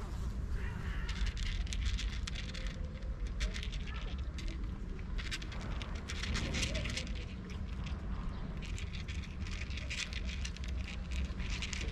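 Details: Continuous crackling and rustling outdoors with a low rumble and a faint murmur of speech, and no animal voice.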